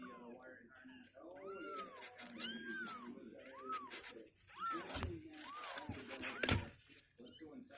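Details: Two-week-old kittens on day 16, legs growing stronger and unwilling to stay in their box, give about five thin arched mews, each rising then falling, over low indoor voices with a couple of knocks near the end.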